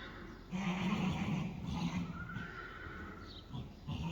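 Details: Friesian horses, the calm mare Reintje with her 2-day-old foal Teije Rein, loose together in an arena for the foal's first time; a low, wavering, throaty whinny runs about a second and a half, with a few softer rumbles after and indoor background noise.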